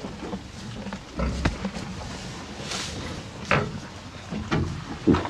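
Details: Two cows chewing hay, with soft irregular crunching, rustling and occasional low snuffling breaths.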